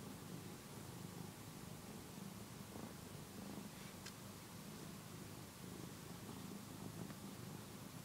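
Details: One-year-old house cat Phillip kneads and suckles a soft housecoat, a habit thought to stem from early separation from his mother; faint continuous low purring runs under a hissing background hum.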